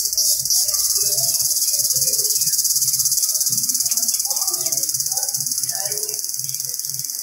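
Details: Indian cicada in the jungle producing a continuous shrill buzzing drone, finely pulsed and nearly unbroken, with scattered faint low chirps and murmurs in the background.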